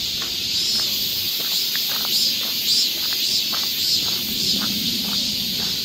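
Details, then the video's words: In a Korean summer forest near Seoul, cicadas keep up a constant high hiss. Brief sharper chirps ride on top about once a second, along with dull thuds like footsteps. "cicada sound"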